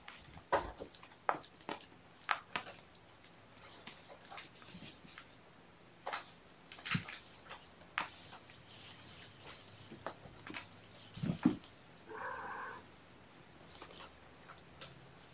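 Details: Mother cat Gamora, morning indoors with her five kittens born April 14, calling the babysitter to come. One short harmonic meow near the end, after scattered rustling, clicks and taps in a small room.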